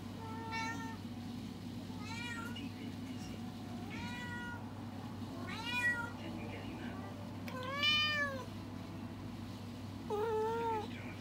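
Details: House cat reacting to a trend from TikTok, meowing six times in a row, each call arched and whiny, the later ones louder and more insistent, over a quiet indoor hum.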